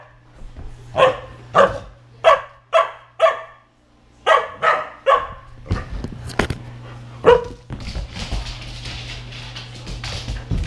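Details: Samoyed puppy in the middle of zoomies fires off a run of about ten sharp, evenly spaced barks, then scuffling and a final yip, over a steady low hum.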